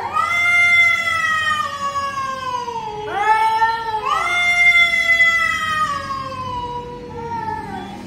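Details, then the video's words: Backyard standoff between pet cat Chhotu and an invading stranger cat: overlapping moaning howls that slowly sink in pitch, broken by sharp rising yowls around three and four seconds, continuing as a long descending wail. "Our Pet Cat Chotu's Fierce quarrel with a Stranger Cat!"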